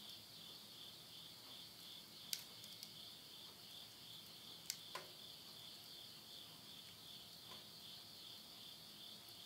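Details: Insects calling at midnight in rural Tottori, Japan, late summer 2020. An unbroken shrill trilling drone runs throughout, cut by a few sharp snaps of burning wood in a stove.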